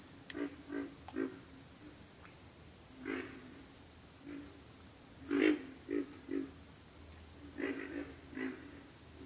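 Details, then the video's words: Pig frogs grunting repeatedly, low and rasping, in short runs of two to four grunts spread across the recording, while a constant shrill pulsed insect trill carries on in the background. "pig frogs - sound effect"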